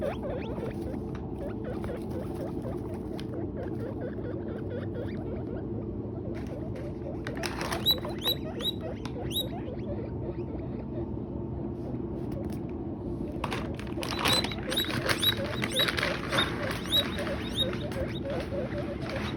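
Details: Guinea pigs eating hay munch and rustle steadily, with bursts of high, repeated squeaks breaking through.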